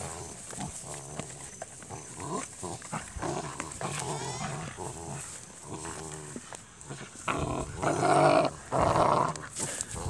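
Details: Dutch Shepherd x Belgian Malinois puppies from KNPV lines grunt and whimper steadily, about once a second, building near the end into louder, longer whining cries with a strained, reedy tone.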